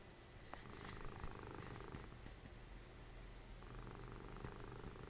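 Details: Dessie, a cuddly cat and Fritjof's mother, snoring while watching TV; a faint low rumble runs beneath soft clicks and rustling sounds early on, with the snoring growing clearer toward the end.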